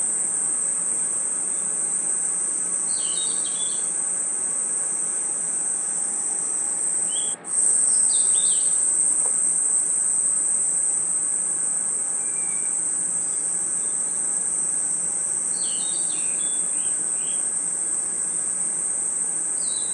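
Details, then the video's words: Crickets and insects calling in a forest at night, a constant bright high trill with a brief dip partway through, plus a few small bursts of clipped chirping notes. "Crickets & Insects Chirping Sounds"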